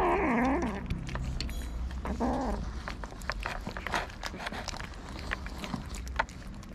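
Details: Hungry homeless street cats in Morocco, fed daily by a local resident: a wavering meow opens, followed by a shorter, lower meow after two seconds, over constant low rumble and scattered clicks and chewing-like noises.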